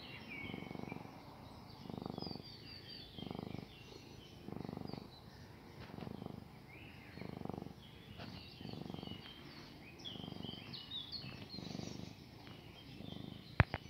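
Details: Kneading cat treating its owner like its mother, purring continuously. Low rhythmic rumble swells with each breath, roughly every 1.3 seconds, over many bursts. Birds chatter in the background and a sharp click sounds near the end.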